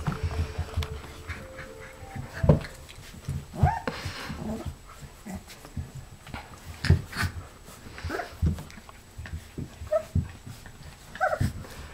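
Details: Golden Retriever puppies about 3½ weeks old, playing, make brief high squeaks and whimpers between snuffling, panting breaths in uneven bursts; a person talks nearby and faint music sits in the background.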